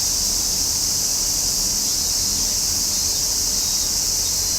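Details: A summer cicada chorus gives a constant piercing buzz, level and seamless from start to end, with a slight low rumble in the background.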